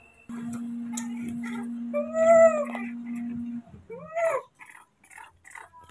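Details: Baby monkeys Moni and Mino, scared and very angry at seeing a new person filming them. Two shrill, arching cries rise and fall, one near the middle and a shorter one later, over a steady low electronic hum.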